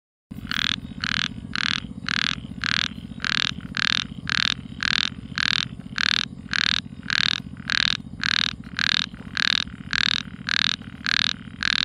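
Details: Frog calling at night: a steady series of loud, short croaking notes, about two each second, with a rich, buzzy tone and a low steady hum underneath.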